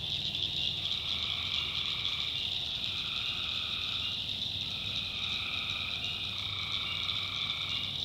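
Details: A swamp chorus of tree frogs after dark in North Carolina: continuous high shrill trilling with overlapping lower calls coming in short alternating bouts, faint low rumble beneath.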